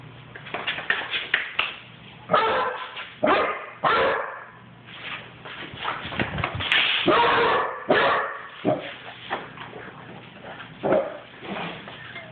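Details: A running Basset hound puppy gives a steady stream of short, hoarse barks at an uneven pace, with a few longer bays mixed in. Faint low background hum.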